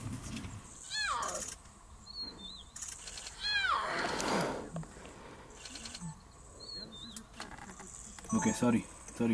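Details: In Kenya, a lion cub gives high, falling mewing cries as it calls for its mother.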